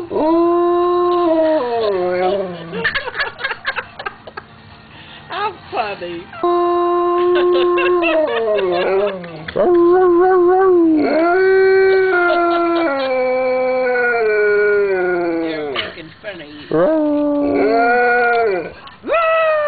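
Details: Pet dog howling almost continuously in drawn-out, quavering notes that slide up and down, broken into many short phrases, while a person speaks and laughs in the background.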